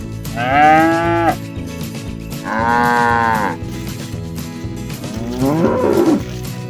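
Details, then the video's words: Grazing cattle calling friends back to the barn in a rural village: three moos in quick succession, two even and sustained, the third a shorter wavering call that swoops upward, over steady low background noise. "Bunyi sapi lucu"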